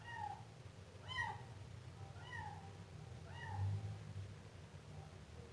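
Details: Siamese kitten mewing repeatedly, four or five short, high, slightly falling cries roughly a second apart, with a low constant hum underneath.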